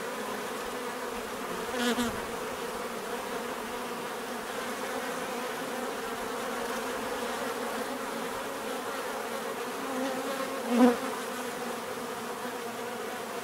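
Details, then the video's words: Steady natural bee hum, a low layered drone, broken by two short nearby fly-bys around two and eleven seconds that swell sharply then fade. "bees therapy relaxing natural buzzing sound"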